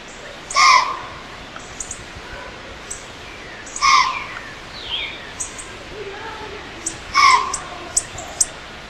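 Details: White-tailed doe in Pennsylvania, stomping and snorting at a human intruder: three loud, harsh, breathy snorts with a rough tonal centre, spaced roughly three seconds apart, over steady woodland birdsong.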